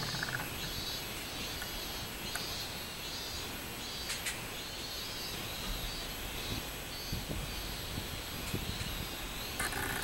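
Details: Song of a robust cicada, recorded 24 July 2016, a shrill droning buzz pulsing in repeated waves about every second, set against constant background hiss and occasional sharp clicks.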